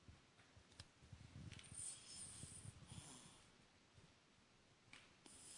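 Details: A 19-week-old Cavalier King Charles Spaniel puppy snores softly, with low, rough snuffling breaths.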